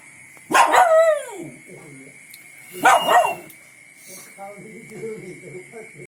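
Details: Donul, a shepherd dog, barks happily on hearing its mates: two loud, drawn-out barks falling in pitch about two seconds apart, then softer low murmuring sounds, over a steady high-pitched background tone.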